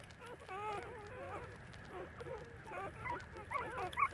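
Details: Puppies about thirty days old feed from their mother, producing short quavering whimpers that wobble up and down, then sharper high squeaks near the end, several pups calling at once over soft background hiss.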